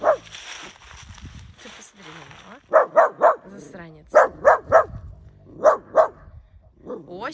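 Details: Efa, a four-year-old female Central Asian shepherd dog who clearly warns when displeased, barks in clusters of two or three short yaps while a person talks in Russian over the sounds, with grumbling between bursts.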